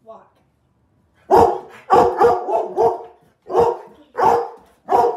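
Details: Labrador Retriever giving powerful barks: after a quiet start, deep loud barks arrive in bursts of one to three, roughly every half second to a second, with a person speaking nearby about a walk.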